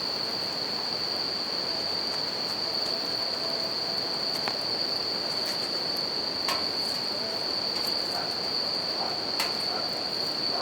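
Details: Bell cricket singing beside a campfire and river in nature: a steady, high ringing tone held without a break over the broad rush of flowing water, with sharp crackles and pops from the fire.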